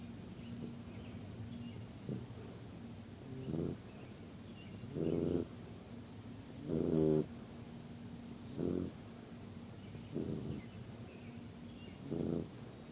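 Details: Yellow Labrador puppy asleep, snoring in low, rasping, buzzy breaths that start faint and grow louder, repeating about every one and a half to two seconds over a steady low hum.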